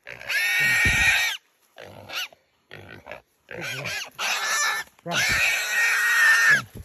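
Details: A feral hog seized by Belgian Malinois hunting dogs lets out piercing, drawn-out squeals. Several long screams are broken by short gaps, with scuffling and a human voice heard between them.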